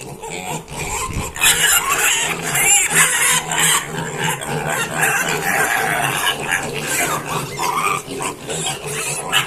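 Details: Pigs being filmed while given rice to eat: a dense, rough, noisy chorus of grunts and squeals, continuous and loud throughout, with faint human speech in the background.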